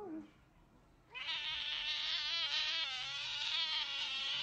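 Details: Cat in a funny compilation giving one long, loud, high-pitched wavering meow that holds steady after a quiet start, with no other clear sounds.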